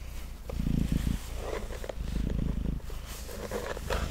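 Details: A male house cat named Mango purring on a table during brushing: low, pulsing rumble in cycles of breathing, overlaid by gentle scratchy brushing strokes through the fur.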